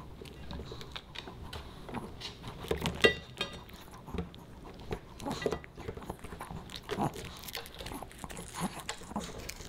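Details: Pomeranian puppy eating dog-friendly fish and chips indoors: irregular wet chewing, crunching and sharp biting clicks, one loud snap near three seconds, continuous smacking throughout.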